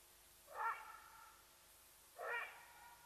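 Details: Side-striped jackal in the Sabi Sands reserve next to Kruger National Park, South Africa, giving alarm calls that reveal a leopardess nearby: two short, harsh, rising yelps about two seconds apart over steady background hiss.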